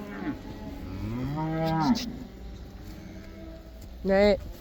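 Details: Black cows returning to pasture in the Netherlands, known there as the cow dance, with a drawn-out moo that rises and then falls, followed later by a brief louder moo.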